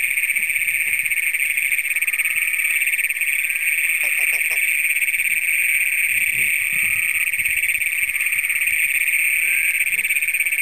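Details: At night in Brown County, Minnesota, on June 27, 2010, Great Plains toads, among the first recorded in the county, hold an unbroken, shrill, pulsing trill, captured on a Canon PowerShot SX100. A few faint clicks occur around the middle.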